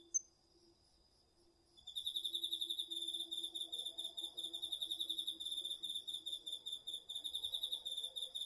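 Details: Autumn insects, crickets among them, heard at night in a garden vegetable plot via a DR-40X; after a quiet start with a soft lower insect drone, a loud high pulsed trill begins and runs steadily to the end.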